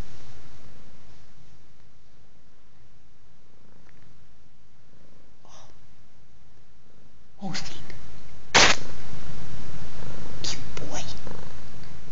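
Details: Male cat kneading on his favourite blanket; soft, low continuous purring rumble, then sharp rustling and clattering handling noises in the second half.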